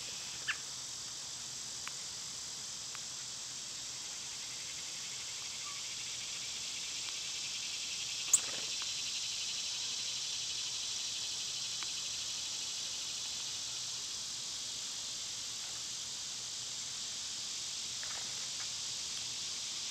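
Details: Cicadas in summer keep up a constant high whining drone, broken by a few faint bird chirps and one sharp click midway.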